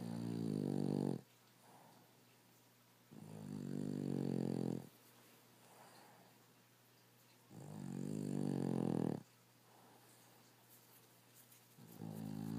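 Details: Rescue Boston Terrier and French Bulldog mix dog sleeping and snoring loudly indoors: harsh, buzzy rasping snores about a second and a half long, separated by quiet pauses, three full snores and the start of a fourth.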